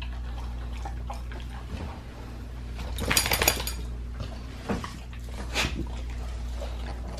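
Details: Pit bull eating raw lamb leg: scattered crunches, then a loud broad scraping and tearing burst in the middle and a few sharper bites after it, over a low hum.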